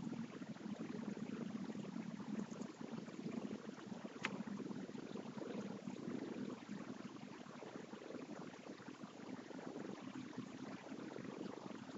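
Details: Steady hiss of broadband room noise with a single sharp click near the middle and no animal voice.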